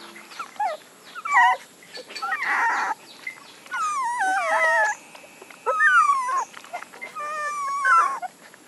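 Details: Puppies crying in wavering, descending whines, some longer and moaning, others clipped, with bursts of rustle and handling noise between the calls.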